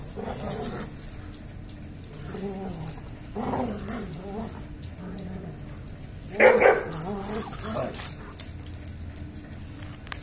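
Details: German Shepherd dogs, a male and female pair shown during mating, give a series of drawn-out whining, whimpering calls with wavering pitch, then a sudden louder yelp-like burst midway, followed by further softer whines over a steady background hum.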